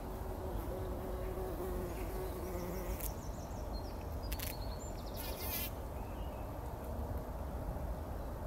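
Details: Several bumblebees wallowing in poppy flowers, taking a pollen bath early in the morning before sunrise, 2019. A low droning hum for about three seconds over a rumbling background, with brief high bird chirps and rustling bursts.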